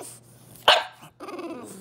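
A French Bulldog gives a single sharp, harsh bark, then grumbling fussy noises while begging for treats.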